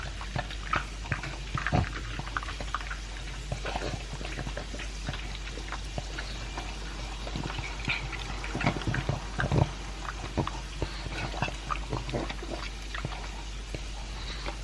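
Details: Elvis, a two-year-old pug, eating his dry food with a chunk of beef: a steady stream of crunchy clicks and wet chewing, with sharper bites around two and nine seconds.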